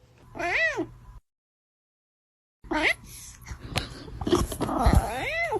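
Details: Domestic cat from a cute cat compilation giving three clear, arched meows: a loud rising-falling cry, a pause of silence, then a shorter meow and a final drawn-out meow over faint background rustling.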